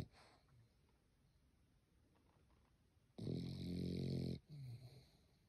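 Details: A sleeping French Bulldog snores with a loud, rasping, low rumble on the in-breath, with quiet between breaths.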